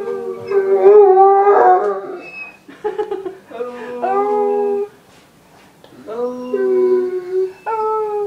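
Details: Pet Irish wolfhound Doogan greets returning family with a 'singing' sequence of wavering howls, several separate phrases that swoop up then settle, with a quiet pause near the middle, inside a small room.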